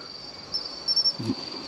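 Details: A male Emma field cricket sings at a roadside on an October 13 evening around 6 pm, with females nearby, a few clear, high chirps over a steady insect chorus.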